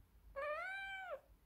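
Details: Young neutered female odd-eyed short-legged Munchkin cat, born July 2018, startled on first seeing footage of her own bath; one clear, drawn-out meow that climbs slightly, holds steady and then drops sharply at the end, lasting under a second in a quiet room.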